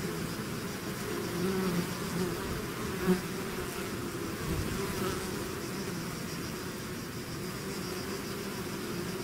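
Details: Bees swarming out of their hive make a thick, unbroken hum, many wingbeats blending into a low drone with wavering tones and a brief louder buzz near three seconds.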